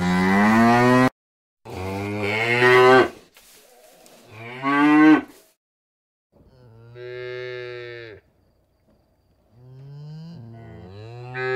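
A cow gives a series of long, deep, harmonic moos, some rising and falling in pitch.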